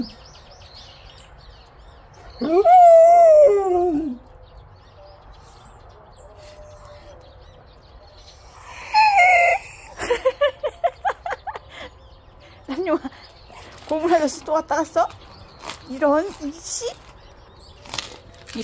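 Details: A yellow Jindo dog gives a long, wavering howl, then its howl breaks down into choppy, uneven yelps.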